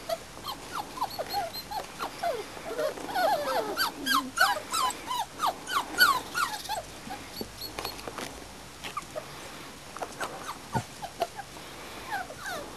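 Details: Springer Spaniel puppies of a litter about four and a half weeks old, outside for the first time in their lives; many overlapping high, thin whimpers and yips, rising and falling, tumbling over one another in rapid clusters.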